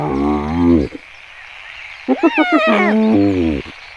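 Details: In South Africa's Kruger National Park, wild hyenas give buzzy harmonic notes and quick pulsed, giggle-like bursts that slide upward, then a low drawn-out note, over a steady background hiss.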